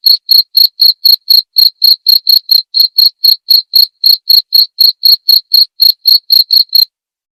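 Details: Cricket chirping recorded cleanly to tutor white-rumped shamas: a regular string of shrill pulses about four per second for nearly seven seconds, then quiet.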